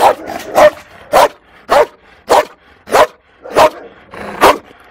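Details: A fearful female Malinois at a Toulouse shelter in April 2014 gives a steady series of loud, harsh barks spaced roughly half a second apart, with faint clatter in the background.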